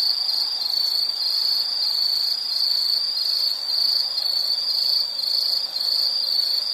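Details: Insect singing in a soothing nature-sounds piece: one sustained high-pitched ringing trill with gentle rhythmic wavering and a brief dip in loudness near the end.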